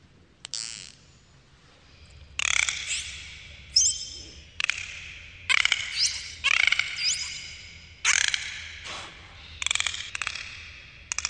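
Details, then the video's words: Dolphins underwater: a series of harsh, broadband burst-pulse squawks with whistled, harmonic contours, separated by short pauses over a low background hum. "dolphins underwater sounds"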